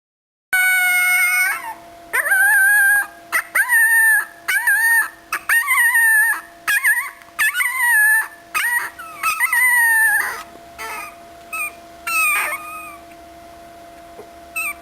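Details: An 18-day-old puppy named Aportos, not yet walking but able to climb in and out of its bed, whines in a series of drawn-out, wavering high cries, some rising and falling, repeated about every second with short pauses.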